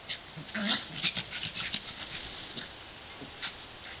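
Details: Two pet dogs, Davey (brown) and Brodie (white), aged 7 and 8, playing together in a sunny back yard; short breathy pants, huffs and whimpering bursts come in quick clusters, fading toward the end.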